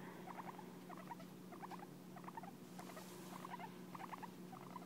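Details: Guinea pig Hay licks and grooms its owner, showing fondness; quick smacking lick sounds come in evenly spaced little clusters about twice per second, against a faint steady hum.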